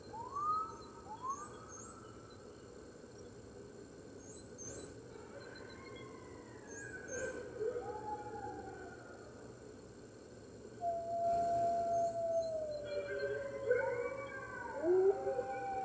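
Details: Webcam recording from the NY Wolf Conservation Center, morning of March 15th, 2013: red wolves join the other wolves with rising, sliding howls, starting softly and building into a louder overlapping chorus of several voices.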